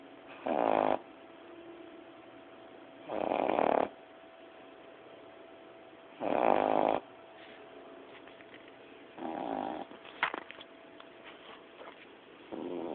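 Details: Lizzie, a 9-10-week-old Boston Terrier puppy, snoring during a nap: nasal, honking snores recurring about every three seconds, over a steady background hiss.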